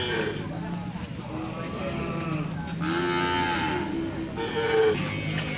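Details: Brangus cattle giving a low, arched moo that swells and fades around the middle, with a fainter call near the end over steady background noise.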